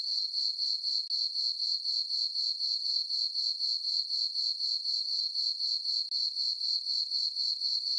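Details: A chorus of crickets on a farm meadow at night under the full moon in summer, sounding a continuous high-pitched pulsing chirp, about four beats each second, steady and regular throughout.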